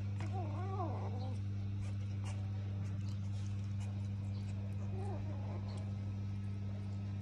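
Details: House cat at mealtime letting out a wavering, warbling meow near the start and a shorter, quieter one about five seconds later, with a constant low hum and scattered eating clicks between.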